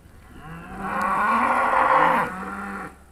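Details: One of a trained Charolais herd recorded in 2017 lows while being called over in Polish. The moo is long and full, about two and a half seconds, steady in pitch, dropping at the close, with a calling voice around it.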